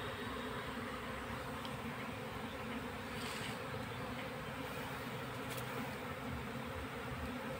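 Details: Honey bee colony being boxed into a hive: an unbroken, thick, low humming drone from many bees, steady throughout, with faint scattered clicks.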